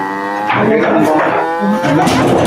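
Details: Qurban cattle for 2024 being loaded up onto a vehicle, giving drawn-out, low, harmonic-rich moos that overlap with people's voices and background noise.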